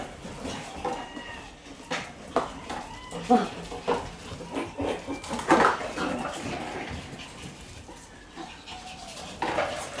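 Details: A one-month-old Shiba Inu puppy at play gives short, high yelping squeaks in scattered bursts, with clattering like dishes or hard objects knocking around it and faint background voices.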